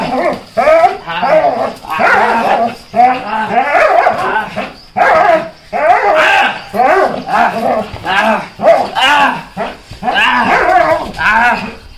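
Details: Belgian Malinois Lucky doing protection work, giving a steady run of forceful, clipped barks, roughly two per second, with brief gaps and some human speech in the background.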